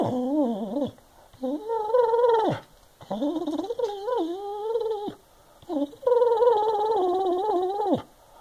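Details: Senior Boston Terrier and Basset Hound mix indoors in North Carolina, complaining that a wastebasket blocks his walks around the house. Four drawn-out, wavering moaning howls, each rising and dipping in pitch, with short quiet gaps between them.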